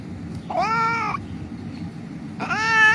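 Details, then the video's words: A rescued cat, injured and earlier found crying on the street, gives two plaintive meows about two seconds apart, each rich in harmonics and slightly bending in pitch, over low steady background rumble. "The cat was lying on the street crying"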